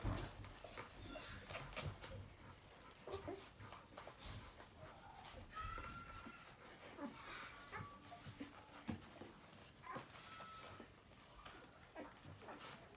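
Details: Newborn puppies making faint, thin high squeaks and short whimpers, a few drawn-out rising whines among them, over constant soft rustling, shuffling and clicking movement noises close by.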